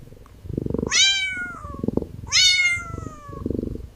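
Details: Calico kitten lying on wooden stairs, affectionate, gazing ahead; two clear rising-then-falling harmonic meows about a second and a half apart, with soft low purring rumbles between them in a quiet indoor space.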